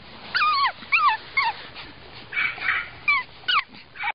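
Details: A fawn male Pug puppy whimpers in a quick series of high, thin yelps. Each cry slides downward and carries bright overtones. There are about eight short cries in four seconds, with brief gaps between them and no other clear sounds.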